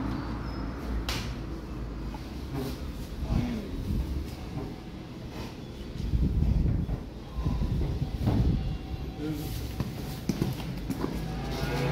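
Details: Low engine rumble with repeated metallic clunks and bangs like a sliding truck door, plus scattered voices, and no clear animal call.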